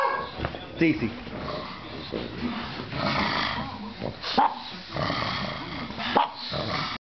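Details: Pugs and Pekingese at play, running around: throaty growls and mixed barks in bursts, a few sharp yelps standing out near one, four and six seconds, with a person speaking in the background.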